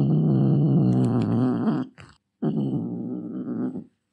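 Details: Angry domestic cat growling deeply and gratingly; a long rumbling growl breaks off briefly and then resumes for over a second, wavering slightly in pitch, in a quiet setting.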